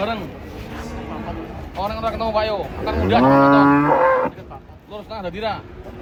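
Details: Cattle being unloaded from a truck: short lowing calls, then one long, loud, drawn-out moo that swells and holds steady before cutting off, followed by a few softer moos, with people talking in the background.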